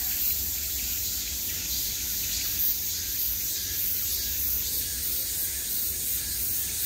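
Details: A summer chorus of cicadas surrounding the listener, a sustained sizzling high drone with faint rhythmic flutters and a few brief louder bursts.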